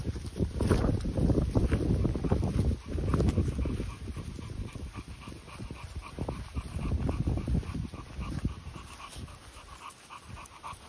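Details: Continental Bulldog, either 10-month-old Rita welcoming her 2-month-old little brother Sumo or Sumo himself: rough, rapid breathy bursts, several per second, that fade toward the end over a steady low wind-like rumble.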